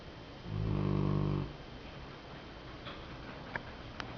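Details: Sleeping Golden Retriever snoring: one clear low, harmonic snore lasting about a second, followed by quiet breathing hum and a few faint clicks.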